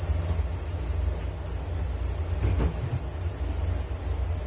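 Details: Crickets chirp in distinct rapid pulses, about three or four a second, high and shrill, part of a sleep-relaxation nature recording, over a low steady hum with one brief soft knock midway.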